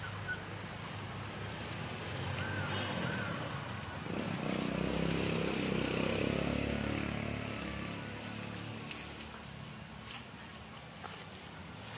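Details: Outdoors a motor vehicle swells past, loudest near the middle and fading afterwards, with faint voices and no animal calls.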